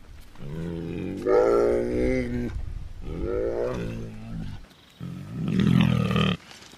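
A bear gives three deep, drawn-out moaning growls, each rich and harmonic with a bending pitch.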